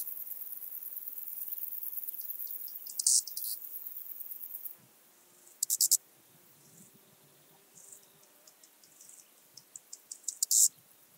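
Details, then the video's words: Eastern banded grasshopper recorded in Hungary at Zalahalap, July 2022: scattered high rasping buzzes and short ticking runs, some louder bursts near the end, set against a faint background hiss that drops away midway. "Arcyptera microptera -- Kleine Höckerschrecke -- Eastern Banded Grasshopper"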